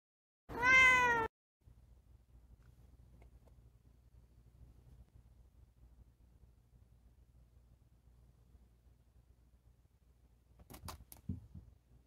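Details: Offended house cat meowing at her tunnel: one loud, drawn-out, slightly falling meow, followed by a long near-silence and then a brief rustling clatter.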